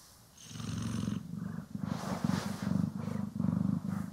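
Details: Cat, Poki or Kiwi, purring steadily while groomed and brushed, stereo recording; deep continuous rumbling purr in rhythmic breath-by-breath waves, about one cycle every half second, with light brush rustling above.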